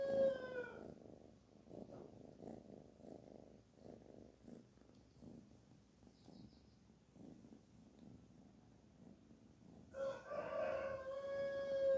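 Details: Cute kitten Barfi, being petted, purrs in soft rhythmic pulses for most of the recording. Brief tonal, harmonic calls are heard at the very start and again at the end.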